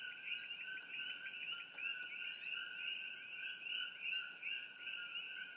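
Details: Coqui frogs, Eleutherodactylus coqui, near the Hawai'i Tropical Botanical Garden off Old Mamalahoa Highway near Hilo, Hawaii, recorded on an iPhone: a dense chorus of high whistled two-part notes, overlapping continuously, with steady high insect-like tones behind.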